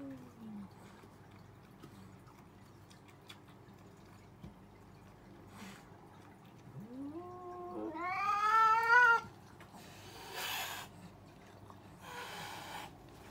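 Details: Cats arguing: soft low murmurs give way to a loud yowl that climbs steeply to a harsh, strained peak near nine seconds, followed by two short bursts of hissing noise.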